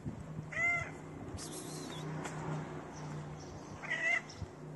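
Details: Dirty feral cat, homeless and hungry, begging a person for food: two clear, drawn-out meows with a bright tonal middle, about three seconds apart, over a steady low hum and faint background noise.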